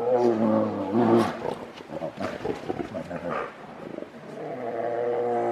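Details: Fighting grizzly bears roar with deep, harmonic, drawn-out bellows at the start, then break into choppy snarls and grunts before a long, steady groaning roar closes the struggle.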